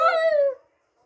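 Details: Shih Tzu howling in answer to her name being called: one short, clear, tonal howl held briefly, then sliding slightly downward and fading within about two thirds of a second, followed by silence.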